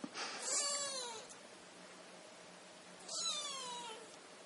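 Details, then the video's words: Kittens meowing: two thin, high meows about three seconds apart, each starting with a breathy burst and then sliding gently downward, over a quiet background hum. "Kittens chorus"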